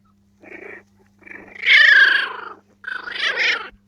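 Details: Four-week-old Jack Russell terrier puppies give three drawn-out, wavering whines. The middle cry is the loudest and strains upward before it trails off.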